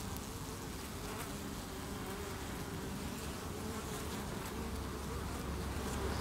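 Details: Hive of honey bees defending against beewolf wasps in August 2018, bees chaining under the landing board to evict an insect; a constant low droning of many wings, swelling slightly louder toward the end.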